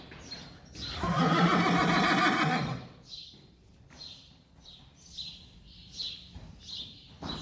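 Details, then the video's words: Friesian horses, May 5, 2019, calling while asking to go outside or for a lost mother. A loud, harsh, buzzy neigh lasts nearly two seconds, followed by a series of short high chirps repeating about once a second. "Can we please go outside?? Wait! Mommy.. Where are you? Friesian horses"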